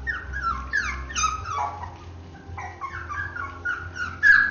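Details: Three-week-old Basenji puppies whimper with high, thin, downward-sliding whines, several overlapping.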